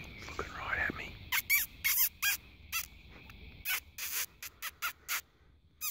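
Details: Fox at night in the spotlight: faint human voices first, then short, sharp barks in an irregular series, loud bursts separated by brief pauses.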